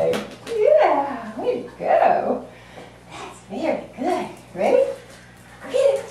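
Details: Norfolk Terrier puppy playing fetch at Chapel Hill Boarding Kennel, making funny noises: a run of six short, wavering, sliding 'wooo' sounds, rising then falling, about one each second, in a small indoor room.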